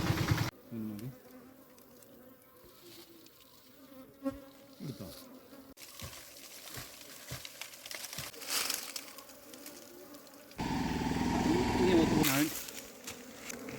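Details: A wild honeybee colony sits in a small mud-bank hollow as it is opened and its combs are cut out for moving into a hive box. A steady low buzz runs under scraping, knocks and louder handling rustle near the end.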